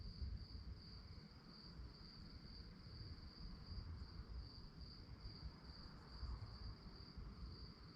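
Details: A nocturnal cricket chorus: a persistent high trill with gentle rhythmic pulsing, steady in pitch throughout, set against a dull, low-frequency rumble.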